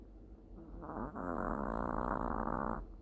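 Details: Long-haired Chihuahua pet dog asleep and snoring gently: a soft, rasping snore that swells after a quiet start and holds steady as a buzzy, fluttering drone for about two seconds, then fades.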